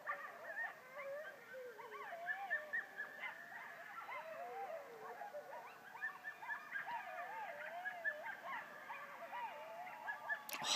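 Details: Many coyotes on October 17, 2012, yipping and howling together in a wavering, overlapping chorus.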